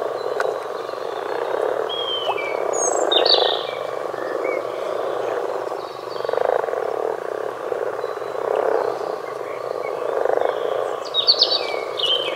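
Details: Many common frogs croaking together in a low, purring, rolling chorus that swells and fades in waves every two seconds or so, while songbirds add clear whistles and chirps above it.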